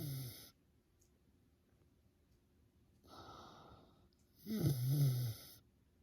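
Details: Sleeping miniature pig snoring like a middle-aged man: three low, rasping breaths at the start, near three seconds and near five seconds, the last the loudest and longest, with quiet pauses between.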